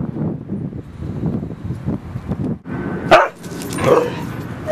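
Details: Dogs at Seal Point Dog Park on the western side of San Francisco Bay, 28 October 2015: low, muffled barks come irregularly against background chatter, followed by a sharper, louder bark and a brief noisy burst near the end.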